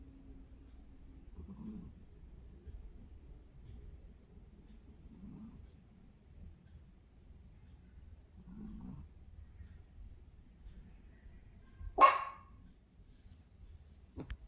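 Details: Pet dog named Cookie asleep under a blanket, snoring like a person: soft, low, breathy snores return about every three and a half seconds over a quiet room, with one sharp click near the end.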